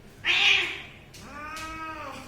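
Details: Domestic cat in a playful home setting: a loud, harsh burst of a meow, then a clearer, longer harmonic meow that holds steady and fades; faint background hum.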